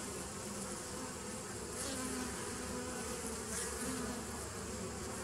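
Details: Honey bees from a 2017 nuc colony, recorded on 27 September 2018, fill the clip with a steady, dense buzzing hum. Low droning tones run underneath the whole five seconds, with a faint rustling hiss above.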